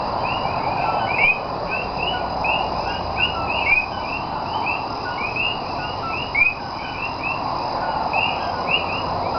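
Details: Night chorus of Puerto Rican common coquí frogs, Cayey, 28 January 2010: many quick rising chirps overlap in an unbroken stream above a constant low wash of ambient night sound.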